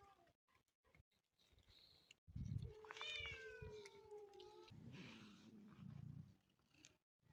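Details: A motherless kitten gives a single drawn-out meow that rises briefly, then slides slowly downward over about two seconds, with soft rustling and low thumps before and after.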